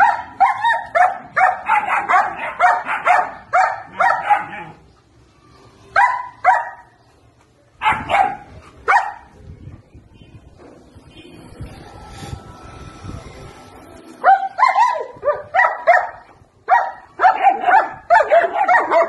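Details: German Shepherd puppies at 70 days old barking in excited bursts of rapid high yaps, broken by a quieter noisy stretch with a faint steady tone, before the shrill barking picks up again.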